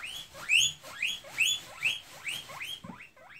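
A hungry guinea pig wheeks, giving loud rising whistles in a quick repeated series.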